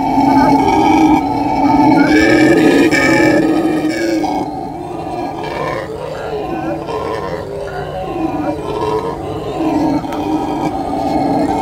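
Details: Loud roaring howls from howler monkeys, strongest in the first four seconds, then a softer, rolling groan that wavers up and down before rising again.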